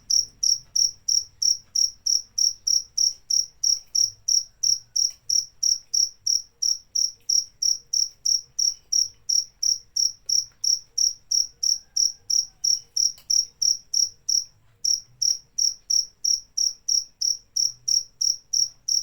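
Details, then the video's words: Rapid, regular cricket chirps, about three per second, high and piercing. The series pauses once briefly, then resumes, over a quiet low hum. "Suara Jangkrik"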